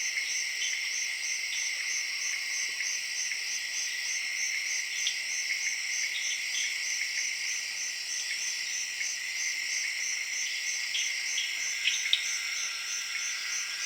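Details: A dense late-evening jungle chorus in Zaire: crickets give steady, high, pulsing trills, layered with tree frogs croaking.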